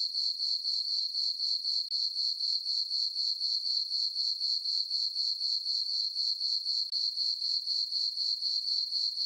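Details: Crickets chirping on a peaceful summer night in a farm meadow under a full moon: a steady, high-pitched ringing trill pulsing about four times a second, very even, with no other sounds.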